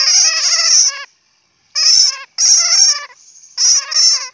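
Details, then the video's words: Shrill bat chatter: a long squeaky burst, a short pause, then three more quick bursts of rapid, rattling pulses; nothing else audible. "Bat sound ( suab puav quaj)"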